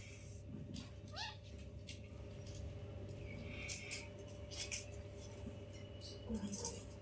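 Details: Newborn kitten, one of five kitties playing with their mother indoors, gives a single short mew that sweeps upward in pitch, heard over a steady electrical hum with soft rustling and a few faint clicks.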